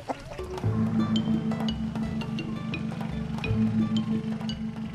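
Only music is heard: a low droning tone under tapping, wood-block-like percussion and bell-like notes, with no animal voice.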